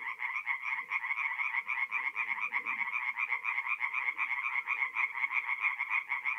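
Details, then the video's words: Chorus of singing tree frogs at a forest pond by night, mid April, North-East Italy. Fast, harsh, pulsing croaks overlap into a thick wall of sound, with faint low murmurs beneath. "relaxing forest pond by night with singing tree frogs"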